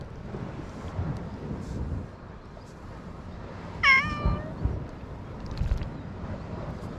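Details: Stray cat living on an island, wandering and encountering a man; a single short bending meow near the middle, otherwise quiet low background rumble with faint knocks.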